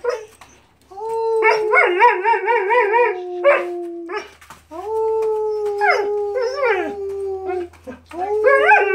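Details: Howling on her owner's request, Mariah the German Shepherd gives sustained, gently falling tones with rapid warbling wobbles, three long howls over about nine seconds, separated by short breaks and breathy sounds.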